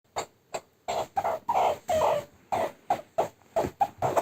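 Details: A pet meerkat being tickled during playtime gives quick, repeated squeaky chirps in short bursts, a few per second, as he tries to push the hand away.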